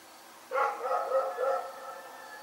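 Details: At night, a dog named Rex gives one long, harmonic bark that trails off over about a second and a half, with a faint constant hum underneath.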